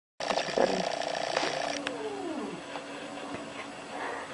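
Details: Domestic cat displeased with a balloon replica: a drawn-out, tonal, harmonic-rich yowl held for about a second and a half, followed by lower sliding moans that fade into quieter rustling.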